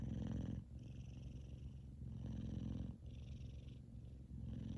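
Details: Kumba, a male F2 Savannah cat, purring loudly as he sleeps and twitches; a deep rattling drone with breathy in-breath hiss, pulsing in uneven cycles of about one to two seconds.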